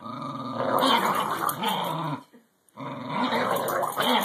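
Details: English Bulldog and Cairn Terrier playing tug-of-war with a rubber ball, one growling steadily with a rough rumbling tone, a short silent gap midway, then the growl resumes.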